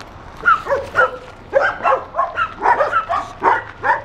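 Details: Leonberger dog recorded in September 2013, giving a quick series of short, harmonic barks, roughly eight in four seconds, each a brief arched yelp with little pause between them.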